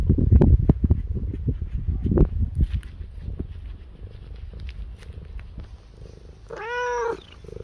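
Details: Domestic cat purring, a low rumbling throb that is loudest in the first two seconds and then softens. Near the end comes one short, rising-and-falling meow.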